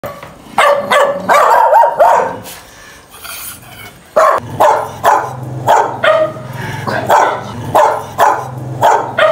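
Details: Dogs fighting and barking loudly: bursts of sharp, harsh barks in quick irregular runs, with a short rough growling stretch and a lull near the middle before the barking resumes.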